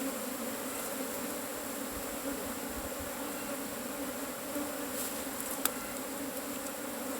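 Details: Loud, steady buzzing of Asian honey bees as a cavity hive is harvested, a constant two-toned hum with a single sharp crack toward the end.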